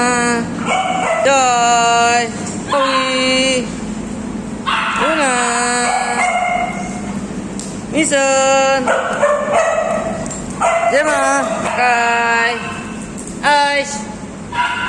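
Alaskan Malamute giving rich, bending woo-woo calls that rise and fall, repeated in bursts.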